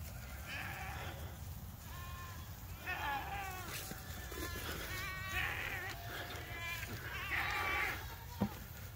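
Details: Farm goat herd running across an open field in a stampede toward new grazing pasture; several wavering, harmonic bleats overlap at irregular intervals against steady outdoor rumble, with a person calling to the goats.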